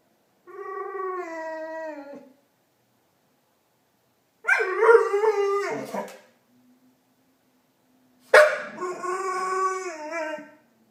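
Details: Marley, a pet dog, voices Chewbacca-like noises: three long, tonal moans spaced a few seconds apart, each sliding gently downward. The second and third start with an abrupt, rough onset.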